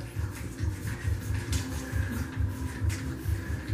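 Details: Steady low mechanical rumble pulsing about twice a second, like a fan or motor, with faint music in the background indoors and no animal voices.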